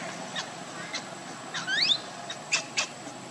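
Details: Baby monkey Lucie crying while hungry for milk, foaming at the mouth: a short, shrill rising squeal with sharp upward sweeps, then two brief high chirps, over steady background hiss and a faint high electrical tone.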